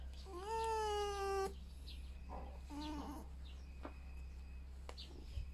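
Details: Pet female red fox squeaking while being scratched, unhappy with the prolonged scratching; one long, steady, high nasal squeal about a second long, then two shorter, softer squeaks over a low steady hum indoors.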